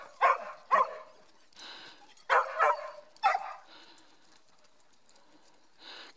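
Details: A dog named Mieli, part Schipperke, doing zoomies on a hike at Grand Staircase-Escalante National Monument in southern Utah; a few sharp barks in two pairs, then quiet with faint rustling.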